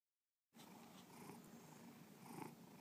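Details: A pet cat named Bubba purring: a steady, low rumbling drone that starts after half a second of silence and holds evenly, with faint brighter bursts near the end.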